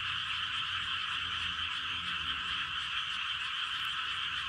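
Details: Rice-field frogs in Gapyeong, Korea, calling en masse at night around 11:19 pm, a continuous pulsing chorus of high croaks at constant loudness, faint low hum beneath.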